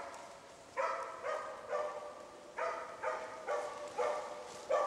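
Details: Zakko, a Swedish moose-hunting dog, holding a cow moose and her calf at bay, gives steady barks roughly every half second in two short bursts, sounding a little distant in a still outdoor setting.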